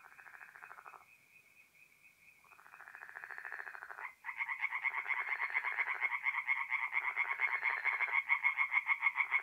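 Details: Night chorus of tree frogs at a forest pond, north-east Italy, mid-April: short bursts of rapid pulsed croaking, a brief lull, then several frogs join in a loud overlapping rattle that keeps building.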